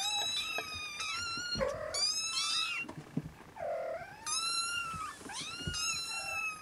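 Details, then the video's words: While nursing, Siamese Snowshoe kittens let out high, sharply bending mews in two bursts. Lower, softer squeaks fall between the louder cries. "Siamese Kittens SnowShoe Nursing"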